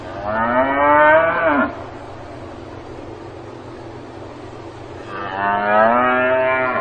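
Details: Cow on a farm lowing twice: a long harmonic moo ending in a pitch drop, then after a pause another drawn-out moo, with a continuous low hum underneath.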